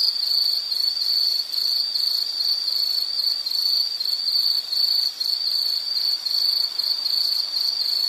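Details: Insect calling steadily in a natural setting: a high, dense pulsed trill that runs without pause for the whole stretch, with a faint fainter high buzz layered above it.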